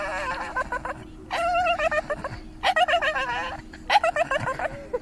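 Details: A Staffordshire Bull Terrier chattering away: bursts of yodel-like, wavering vocal sounds in four main phrases, each held about half a second to a second, with quick pitch wobbles, over a steady hum and some laughter.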